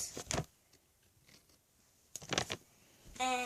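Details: Short bursts of rattling and handling noise fill a small indoor space, with quiet gaps between them. A flat, steady hum with a mechanical tone closes it, and no animal voice stands out.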